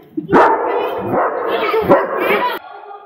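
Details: German Shepherd at Halloween, said to be scaring everyone: a loud, sustained, roughly harmonic barking outburst lasting over two seconds with a few pulses, ending abruptly.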